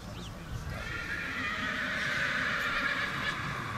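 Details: Young mare, born 13 March 2017, out of Jollity by Star Poker, at the autumn inspection at the Krasne stud on 27 September 2018. She gives a sustained, quavering whinny lasting several seconds over background chatter and hoof sounds.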